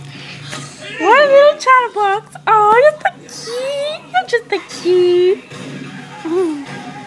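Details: Pet dog Daisy, known for howling and barking, producing a string of rising yowling barks and warbling howl-like vocalizations, with a steady low hum and some background sound underneath.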